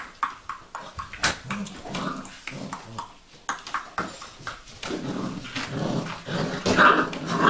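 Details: Vizsla puppies of the Sejla litter giving soft, high whimpers and squeaks, strongest near the end, among quick clicking taps and rustling.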